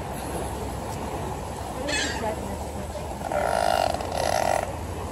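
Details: Beluga whales at Marineland give short, nasal squawks and honks over a steady murmur of crowd noise, wanting to be fed while waiting for trainers.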